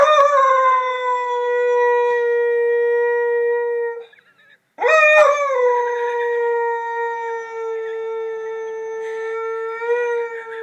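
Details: A lurcher dog sings as it does daily when the ice cream man arrives: a long steady tonal howl near one pitch, rich in harmonics, breaking briefly around four seconds and then resuming with a rising onset that settles into a sustained, level note.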